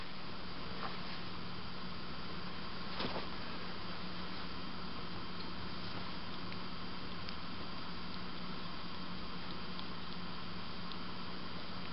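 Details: Steady indoor background hiss with a low electrical hum and a few faint taps, with no kitten or other animal sounds.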